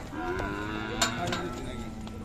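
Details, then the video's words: Khillari cow at the Sangola cattle market, 5 May 2024, with a continuous low, even moo heard under nearby talking and a sharp knock midway. "सागोला खिलार गाय बाजार"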